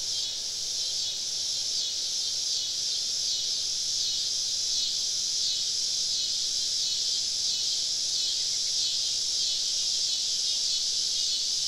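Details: Many cicadas surround a campsite deep in southern woods on a summer evening, making a loud continuous high-pitched drone that pulses softly about every second.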